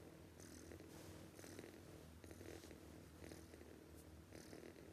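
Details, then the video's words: Sleeping cat snoring loudly: a steady, raspy rumble of breaths, each swelling and fading about once a second, continuing without a break through the whole stretch. "This cat snoring too loudly"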